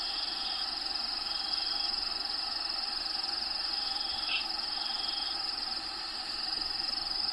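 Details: Crickets in a bearded dragon vivarium with Diego, the bearded dragon, at feeding time: a steady high pulsing trill runs throughout over a dense bed of constant humming tones.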